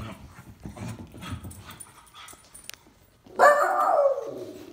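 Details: Miniature schnauzer greeting its returning owner: after a few seconds of quiet rustling and room noise, a sudden loud, harmonic whining howl starts and is held, falling gently in pitch toward the end.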